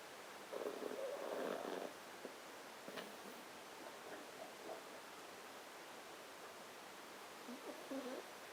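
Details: Gran, a pet poodle, snoring on 28 January 2012: a rough, breathy rasp lasting over a second, then quieter soft snuffles and a second short rasping snore near the end, in a quiet room.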